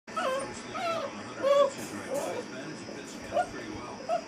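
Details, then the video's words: An eight-week-old female Basset Hound puppy, in a crate for the first time, gives short, wavering howls and whimpers, rising and falling in quick bursts. "Basset Hound Puppy Howling"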